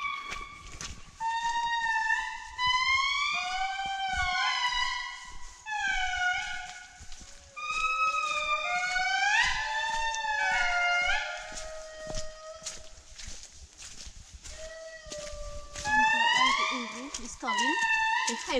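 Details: A family of indris in Andasibe-Mantadia National Park, Madagascar, in July 2019 wails in chorus, several voices sliding up and down in long, siren-like howls; the high voice is the male and the low voice the female.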